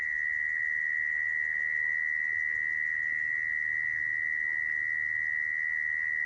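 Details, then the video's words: Steady high-pitched churring of a mole cricket, used to attract mole crickets for trapping, sustained without pauses at one pitch over faint low hum. "Tiếng dế dũi dùng để bẫy"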